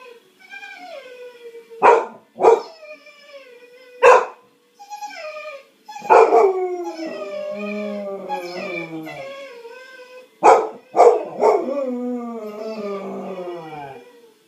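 A Cocker Spaniel gives sharp barks that slide into drawn-out, falling, howl-like whines.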